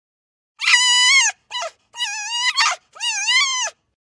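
A fox gives four high, whining yips, each a tense, slightly wavering cry with short gaps between.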